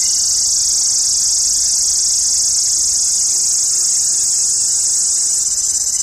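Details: Loud shrill drone of summer cicadas in India, an unbroken high-pitched buzzing that stays level and intense from start to finish.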